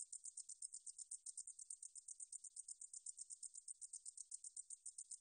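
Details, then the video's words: Korean katydid (등줄어리쌕쌔기), 2020 National Institute of Biological Resources recording: continuous high-pitched, dry buzzing pulses repeated quickly and evenly, roughly eight each second, on a silent background. "등줄어리쌕쌔기, 여러번 듣기, 곤충소리"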